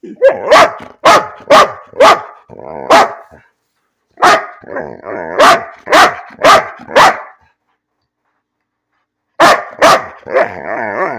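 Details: Domestic dog Bean barking for no reason: rapid runs of sharp barks, roughly two per second, with whiny, grumbling tones between them, a silent gap, then another bark burst ending in a drawn-out moan.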